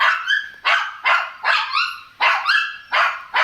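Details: Laddu, a small pet Shih Tzu in India that follows its owner like a shadow, gives a rapid run of about eight sharp, high-pitched barks, roughly two each second, each bark bright and harmonic, with no other clear sounds.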